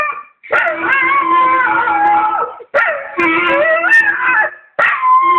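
A Staffordshire bull terrier howls in long wavering notes along with a sustained clarinet tone.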